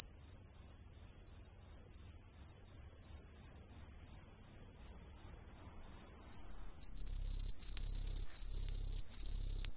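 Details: Chorus of Green tree crickets concealed in street trees in a residential district of Ehime, Japan: rapid repeated high ringing chirps about three per second, a second louder singer joining near the end, faint low rumble beneath.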